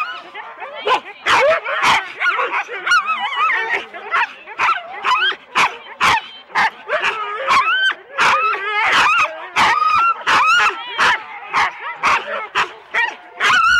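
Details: Excited Husky sled dogs in four-dog teams waiting at the start at Rendlesham, January 2016, recorded on analogue tape: rapid barks roughly twice a second, irregular, mixed with high warbling yelps and whines from several dogs.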